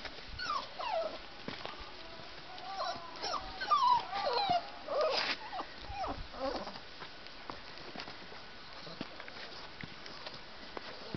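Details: Six-week-old crossbred puppies from a litter whose mother is wolfhound, stag, mastiff and Dane mastiff and whose father is a bull arab, filmed in July 2010. High, whiny whimpers rise and fall in short bursts over several seconds, then fade to quiet.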